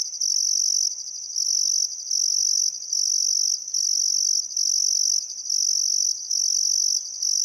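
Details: Australian crickets at sunset by the Barcoo River in Welford National Park, Queensland Outback, summer: steady shrill pulsing trills running in bursts of about a second, separated by short gaps, with no other clear sounds.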